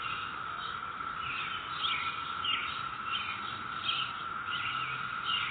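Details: A chorus of cicadas in a residential neighborhood on May 22, 2021 makes a steady, droning whine, with higher rasping bursts rising and falling above it.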